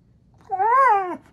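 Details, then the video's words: Husky Maya vocalizing in a playful exchange with Alexa, inside a small room: a short arched whine that rises and falls once in well under a second, clear and harmonic, with no other sounds. "Maya Husky Talks To Alexa"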